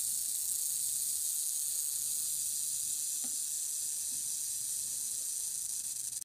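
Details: Defensive western diamondback rattlesnake sounding its rattle: an unbroken, hissing, high buzz held at an even loudness from start to finish, with no other clear sounds.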